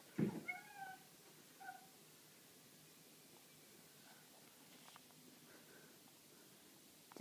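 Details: House cat excited over a nail on the wall it thinks is a bug: two short meows at the start, then several faint, soft mews spread through a quiet room.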